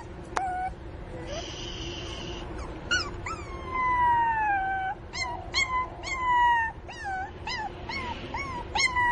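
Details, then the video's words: {'text': 'Crying Pinscher puppy missing its mother: a sharp yelp, then a drawn-out whine sliding slowly downward, followed by a string of short, piercing yelps and falling whimpers repeated roughly twice a second over a steady background hum.'} "Filhote de Cachorro Chorando a falta da mamãe!!"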